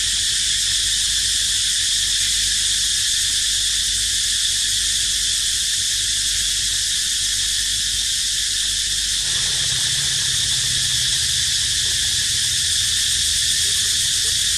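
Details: Cicada crying near where baby monkeys live, a steady loud high-pitched buzzing drone with no breaks, a faint low hum joining partway through.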